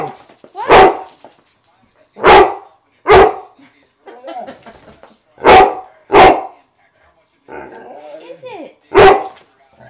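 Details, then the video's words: Pet dog indoors giving loud, abrupt single barks at uneven intervals, six in all with brief pauses; a woman talks softly to it in the gaps between barks. "MAYNARD BARKS!...and his ears tickle"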